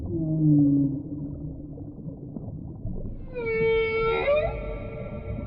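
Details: Whale calls underwater: a pair of low, steady moaning tones in the first second, a quiet pause, then a bright rising harmonic whoop that swoops upward and breaks off, over a constant rumbling sea background.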